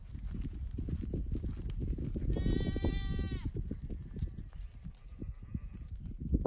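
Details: Goats of the Bishi breed and crossbreds, a herd of sixteen with a buck plus four kids, near Mecca: one clear wavering bleat about two seconds long rises above a steady low rumble of shuffling and handling noise.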